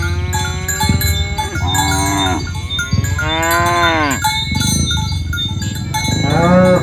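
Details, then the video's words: Domestic cattle, a herd of tame village cows being driven along village roads toward the pen in the morning: several overlapping drawn-out moos, some rising then falling, over a steady clatter of cowbells and hoof noise. "Suara Sapi Moo"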